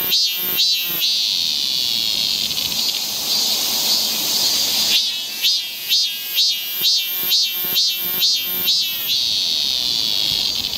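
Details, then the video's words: Cicada song on a summer forest trail in Seoul, Korea: a pulsing buzz of regular throbbing phrases, about two per second, set between stretches of continuous droning hiss from other cicadas. "cicada sound"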